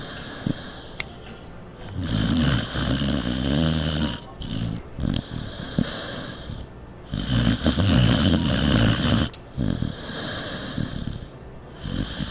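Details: Norton, a pet dog, snoring while asleep: loud, rasping, low snores in sustained bursts of two to three seconds, each broken by short quiet gaps as he breathes in and out.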